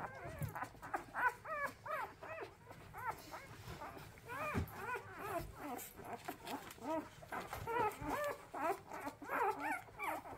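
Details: Several orphaned puppies being hand-fed on the second day after losing their mother, fussing from hunger: continuous overlapping whimpers and squeaky arched cries, many per second, with a low background hum and occasional faint voices.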